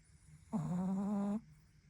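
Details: Pekingese-Chihuahua mix puppy snoring in its sleep indoors; a single drawn-out, steady nasal snore lasting under a second with a slight buzzing tone, then quiet room hum.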